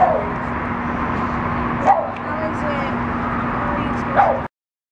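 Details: Boston terrier Rudy lets out a few sharp, brief yelps spaced about two seconds apart, against a constant low hum with human voices murmuring nearby.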